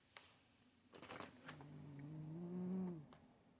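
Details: Stache the cat snoring again, a low droning snore breath that swells in loudness over about one and a half seconds before fading, after a few soft rustles and clicks.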